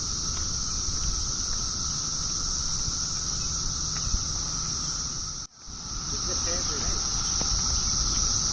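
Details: A cicada in a pear tree drones with steady, shrill buzzing without pause, high and piercing.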